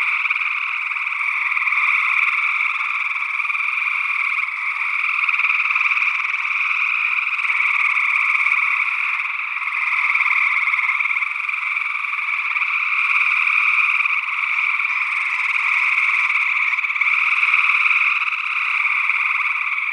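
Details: Chorus of gray tree frogs recorded in early June 2022 in Northwest Wisconsin, an unidentified second frog species also calling, stereo ORTF microphone pair; overlapping buzzy trills sustain without pause, the mass of voices waxing and waning every few seconds.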